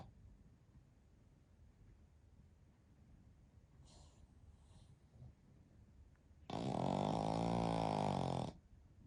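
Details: A Pekingese and Shih Tzu cross, part of a three-dog family (Shiro, Shii, Shiiyu) in deep midday sleep, gives one long, loud, buzzing snore near the end after several seconds of quiet room breathing.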